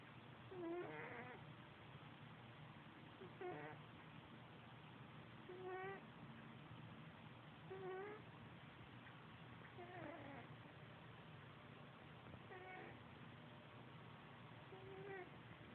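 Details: Male house cat fast asleep on a bed with a second cat nearby, snoring: brief whistly tonal snores repeat steadily about every two to two and a half seconds, seven in all, over a constant low background hum.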